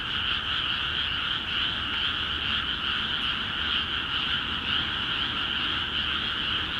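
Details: ['Frogs in flooded Akiha Ward paddies calling in full chorus, many voices blending into a constant rattling hum with faint rhythmic pulsing.']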